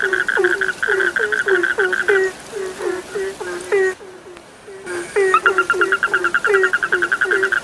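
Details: Frog chorus of short low croaks repeated a few times per second, with higher pulsed trills above. Calling briefly drops to near quiet, then resumes as thickly as before.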